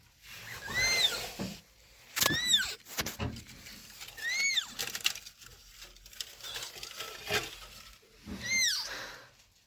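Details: A rescued abandoned kitten, left two days in freezing -11°C snow, cries with thin, high meows arching up and down, repeated four times over hissing broadband noise and knocks.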